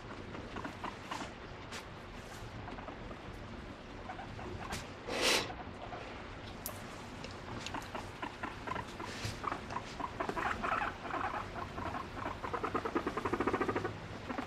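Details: A female pet guinea pig makes soft, varied squeaks and rapid chuttering pulses while seeking affection from her owner, expressing varied emotions through her calls.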